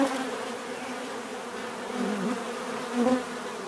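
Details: Bees buzzing in a steady natural drone, a low hum layered with bands near 250 and 500, swelling briefly around the second and third seconds as individual bees pass close.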